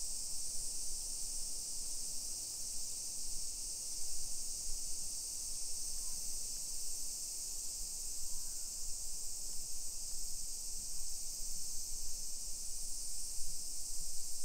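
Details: Cicadas droning through a summer afternoon in suburban Nisshin, Aichi Prefecture, Japan, 1 PM on 28 July 2021. A level, high, sizzling buzz runs without pause above a steady low rumble of walking and neighborhood noise.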